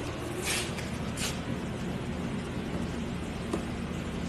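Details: Steady low rumble of passing vehicles outdoors, with a couple of brief hissing bursts like air brakes and faint distant voices; no animal sound stands out.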